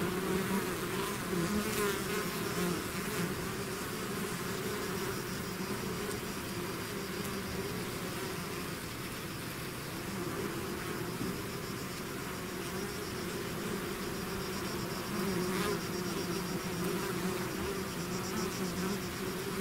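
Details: Bees swarming out of the hive produce a dense steady drone, slightly louder at the start and end, with individual fliers weaving higher buzzes over the mass.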